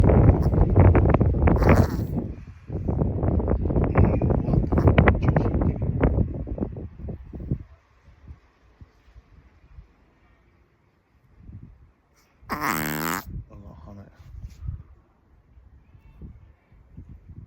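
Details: Chihuahua reverse sneezing: a fast run of rough, low snorting gasps, about seven seconds of rapid pulses, then near silence broken by soft rustles and a brief high, wavering squeal.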